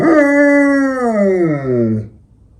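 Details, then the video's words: Female German Shepherd, eight years old, howling at night at home in Ukraine; one long, clear, steady howl that bends downward in pitch near its end and stops after two seconds. "German Shepherd Howling"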